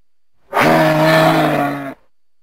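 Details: A moose gives a single loud, sustained bellow lasting over a second. The steady, rich tone has a low hum beneath and starts and ends abruptly, with silence before and after.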